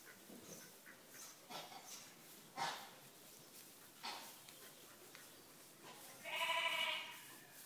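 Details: Sheep with hay fever at Park Farm in Snettisham, Norfolk, giving short, sharp, noisy sneeze bursts, the clearest near the middle, then a loud harmonic bleat near the end.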